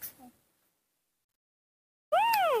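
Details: Baby monkey Nomi throwing a tantrum, not wanting to be hugged, under overcast skies before rain. After near silence comes one loud, brief arched cry, rising then falling, with strong harmonic overtones.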